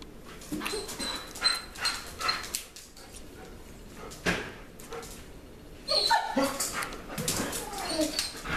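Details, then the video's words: Two German Shepherds, a smaller female and a bigger male, excitedly greet their owner coming home after work, jumping about; high whines and yelps come in bursts with a few barks, mixed with a person's voice and household noise. "German Shepherds Reaction To Owner Coming Home"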